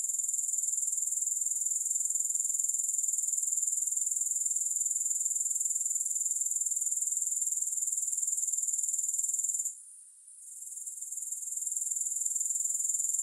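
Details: Grasshoppers in a continuous high, hissing trill with a fast, even pulse and no music; the chorus briefly drops out near the tenth second, then returns to full strength.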